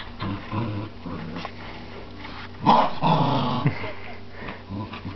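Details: Buddy the Scottie dog and Alice the Jack Russell playing tug of war indoors; low rumbling growls rise into a louder, longer snarling growl midway, over steady background hum and rustling.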